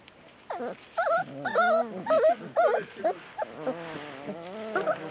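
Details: Rhodesian Ridgeback puppies from a litter of ten, whimpering and yelping in a rapid series of wavering, squeaky, rising-and-falling whines, about two per second, overlapping one another.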